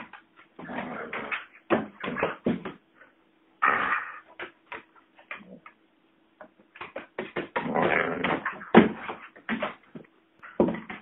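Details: Pet lurcher collie cross tugging at a rope toy, letting out frequent short whimpers, yips and grumbling play noises in irregular bursts, busiest near the start and from seven to nine seconds.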